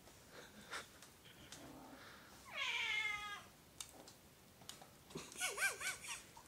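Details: Quiet indoor scene with an Oriental or Siamese cat giving a short, wavering meow mid-clip and a fainter warbling cry near the end, amid light clicks and background hiss.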